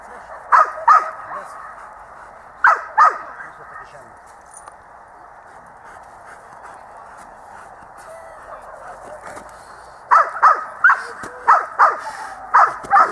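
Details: At dog school on 8 December 2013, Itus the dog barks in short bursts: a few sharp barks, a quiet stretch of low murmuring, then a steady run of about nine barks at the end.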